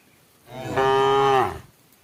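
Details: Cow in a herd eating together before nightfall and being given water, calling its herd with a single sustained moo that rises in, holds a level buzzy-tonal pitch for under a second, then drops away; background otherwise quiet.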